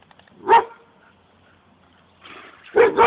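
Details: Dogs with a remote-control toy car: one short, sharp bark, a quiet pause, then a double bark near the end, with faint rustling in between.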